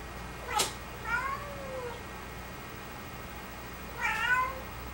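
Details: Domestic cat meowing indoors: a soft, thin meow with a falling tail, then a second brighter, brief meow a few seconds later after a quiet pause, with a short click near the start.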